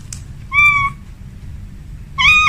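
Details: Domestic cat at home, a female calling a male: two drawn-out harmonic meows, the first about 0.4 seconds long and a second starting near the end, over a low steady background hum.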